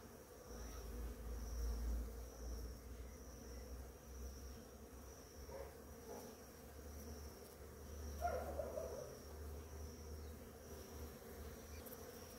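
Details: Many bees work the blossoms of a flowering ora-pro-nobis in the morning, making a deep droning buzz that swells and fades as individuals pass close, loudest near the middle.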